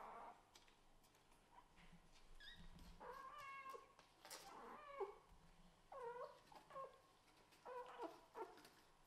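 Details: Scottish Fold and British Shorthair kittens fighting hard over the same bed indoors; several short rising and falling meows, some strained and squeaky, scattered across the clip over a faint background hiss.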